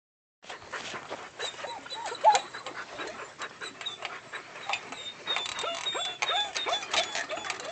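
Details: Three-month-old puppy climbing a ladder onto a deck under construction, giving short rising-and-falling whimpers that repeat through the second half, over scattered clattering knocks and scraping.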